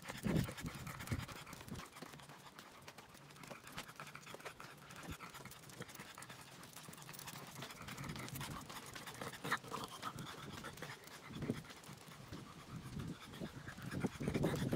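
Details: French Bulldog on a morning walk, 3 May 2023: irregular rapid breathy panting bursts, quick huffs with scattered louder puffs near the start and end, over steady outdoor background noise.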